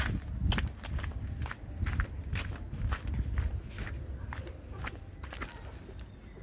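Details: Footsteps crunch outdoors in an uneven rhythm over a low rumble, with sharp clicks and a faint trace of speech, and no animal voice heard.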